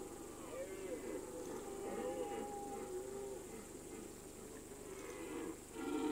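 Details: Red deer stag bellowing on an alpine pasture in the mountains during the September–October rut: wavering, moaning harmonic roars drawn out over several seconds, with a steady hum and hiss behind.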